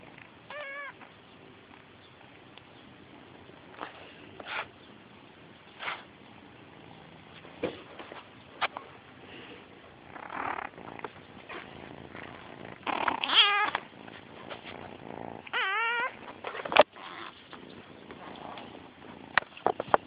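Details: Kitten named Sophyah recorded on an Android phone, giving several short wavering meows with clear harmonic bands, a couple near the start and a louder cluster around thirteen to sixteen seconds, amid handling noises and light clicks indoors.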